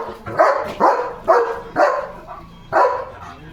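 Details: German Shepherd dog barking loudly at another dog outside the gate: four sharp, harmonically rich barks spaced roughly half a second to a second apart, with a brief pause before the last bark.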